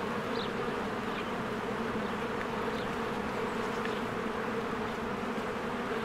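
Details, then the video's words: Spring beehive with bees busily coming and going: an unbroken thick hum of countless honeybees, plus a couple of thin, high bird chirps early on. "1 Hour of a Beehive ASMR"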